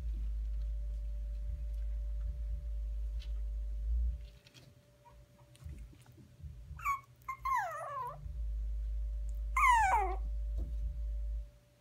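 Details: A young dog, one of five ready for new homes at the holidays, gives two short high whines that slide downward, one after seven seconds and another near ten, over a low steady hum and faint knocks.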